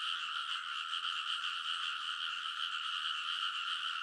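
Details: Frogs chorusing on a rice paddy ridge at midnight in early summer, Kōnosu, Saitama, Japan, captured on a TASCAM Portacapture X8; a dense, continuous wall of rapid croaks with bright bands, steady and unbroken throughout.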